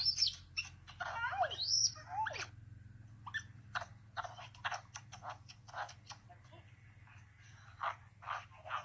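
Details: Little male capuchin monkey, a pet baby, greeting his owner back after being left with a babysitter. A few high chirps and swooping whistles open the clip, then soft clicks, rustles and sparse squeaks over a low hum.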